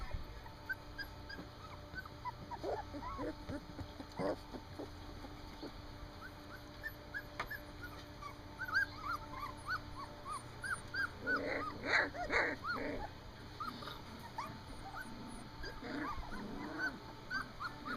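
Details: Standard poodle puppies, three weeks old, on their first time outside, giving many short, high, arched whimpers and squeaks that overlap irregularly, growing busier and denser toward the end, with faint background hum.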